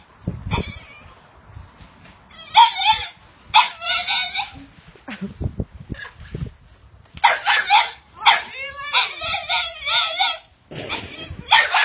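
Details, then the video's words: French Bulldog making high, dolphin-like squeaks. Several buzzy, chattering bursts about a second long are separated by short pauses. Light handling noise and low thumps sound between them. "french-bull dog sounding like a dolphin"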